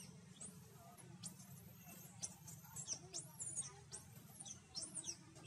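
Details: Frightened baby monkey calling for its mother's help in the jungle of Siem Reap Province, Cambodia: a handful of thin, very high arching squeals, some rising then falling, over a low steady hum.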